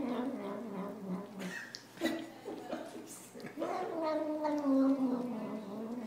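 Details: Domestic cat in a funny home compilation, giving drawn-out, wavering meows with rich harmonics, several in a row, while a person talks alongside in a small indoor room.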